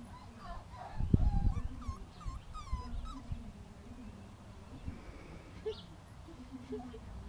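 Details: Playful five-week-old puppies, just set free: several brief rising-and-falling whimpers in quick succession, then quieter, amid soft handling noise and a person talking to them.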